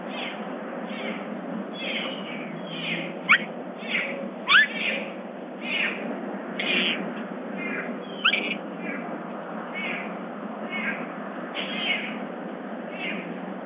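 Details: Summer the bobcat at Big Cat Rescue chattering during a morning stretch: a run of short, rising chirps and squeaky notes, roughly one every second, some louder and sharper, over a steady low hum.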